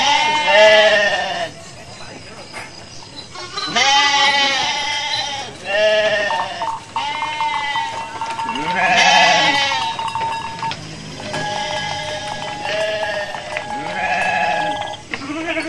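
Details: Hundreds of sheep in a large flock walk calmly to their pen after a midday meal, bleating over and over: wavering, harmonic-rich calls from many animals overlapping, some loud and close, others fainter, with a steady whine in the background.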